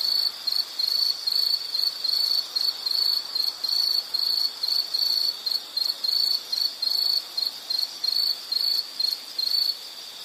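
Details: High-pitched insect chirping in rapid regular bursts, about two to three per second, each a brief shrill trill, steady throughout with a quiet background.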